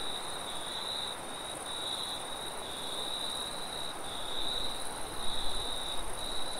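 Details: Crickets chirping in a nighttime forest, their high pulsed bursts coming about once a second, while a constant shrill trill runs above and gusty low wind rumble swells toward the end.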